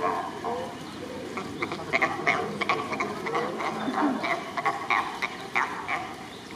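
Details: Back-and-forth calling among sea lions, recorded 2 May 2023. Short, harsh barks repeat irregularly at a quick pace, roughly one to two each second, against constant background noise.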